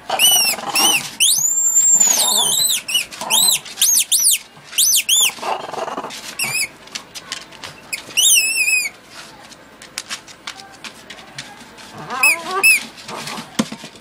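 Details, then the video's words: Zowie, a blind 12-year-old Patterdale Terrier, gives high, wavering squeaky whines in quick bursts, some sliding up and down, with a quieter stretch mid-way before a final cluster of squeaks; faint room noise underneath. "Blind patterdale terrier"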